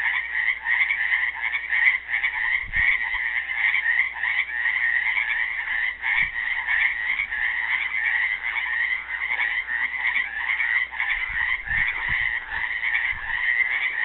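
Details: Frogs trapped in a pool at Helix, Oregon, calling on Earth Day 2016 while a classical guitar is played for them: a dense, continuous croaking chorus, steady and unbroken, with a few soft low thumps.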